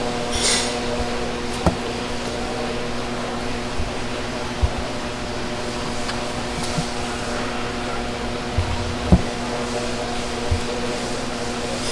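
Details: A steady mechanical hum like a fan or air conditioner fills a small indoor room, broken by a few faint clicks and knocks; no animal voice is heard.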